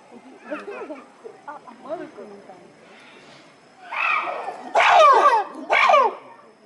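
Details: Captive chimpanzee Tsutomu performing a display at Japan Monkey Center, Inuyama City, Aichi Prefecture, Japan, 13 October 2013: soft rising hoots build into three loud, harsh, screaming bursts near the end, with quiet voices early on.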